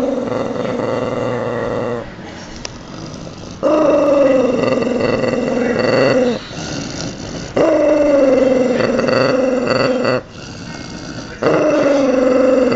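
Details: While eating a tangerine, a dog makes long humming growl-moans, each lasting about two to three seconds with a gently falling pitch, broken by brief gaps of softer munching sounds.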